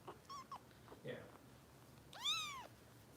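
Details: Bottle-fed foster kitten Harper, cared for by Kitten Rescue volunteers in Los Angeles, lets out a few short squeaky mews and then one long, arching high meow that rises and falls, with soft indoor sounds around it.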